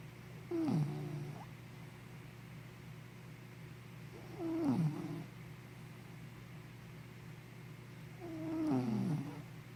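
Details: Sleepy puppy Henna snoring: three squeaky, downward-gliding snores, roughly four seconds apart, each ending in a low rasp. A faint indoor hum runs in the background.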